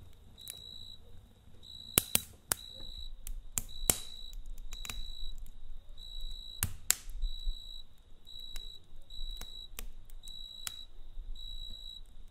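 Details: Crickets at night beside a campfire: high, steady trilled chirps come in short bursts of under a second, repeated irregularly, over sharp crackles and pops of burning wood and a low fire rumble.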